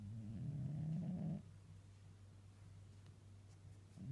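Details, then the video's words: Domestic cat snoring while napping on a person's lap: a low rumbling snore lasting about a second and a half, then quiet low hum with faint breathing noise. "Cute sleeping and snoring Tiger the cat"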